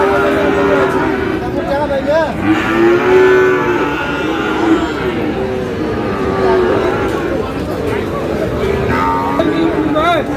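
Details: Sahiwal bull calves for sale at Aftabganj market in Dinajpur, Bangladesh, on 25 July; repeated long lowing calls overlap one another, with short upward-bending cries and dense crowd talk throughout.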